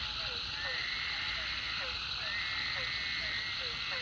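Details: Frogs calling at the Food Lion pond after a heavy rain: short, drooping low notes repeat about twice a second over a dense, steady high-pitched chorus that fills the background.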